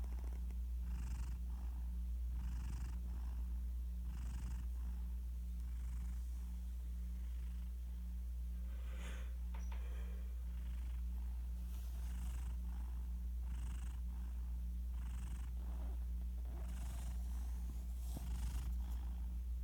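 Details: Sleeping pet cat named Garfield, passed out next to his owner and captured by phone, breathes in gentle raspy snores, faint airy bursts repeating about every second and a half over a constant low background drone.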